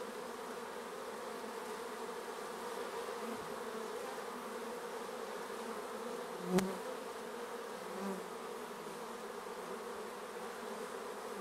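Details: Continuous hum of bees flying around their hive at an apiary, a dense even drone with one sharp click partway through and a bee briefly passing close.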